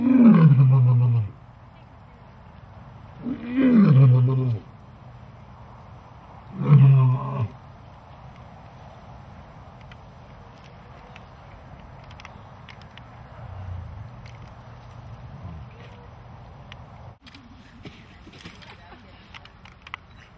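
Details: Big cats in captivity with Christmas presents roar three times in quick succession, deep and sliding downward. A long, quieter stretch follows, with faint low rumbles and background hum.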